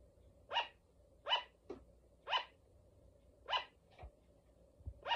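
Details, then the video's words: Female pet sugar glider giving a run of short, high, yapping barks, five strong ones about a second apart, with fainter clicks and soft taps between them against a low room hum. "フクロモモンガの鳴き声 The bark of sugar glider"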